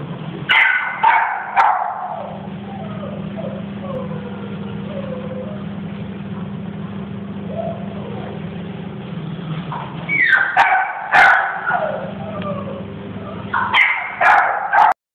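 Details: Blue-eyed Siberian Husky giving a few short barks and yips near the start, then a quiet stretch with a steady low hum, followed by further bursts of barking around ten and fourteen seconds.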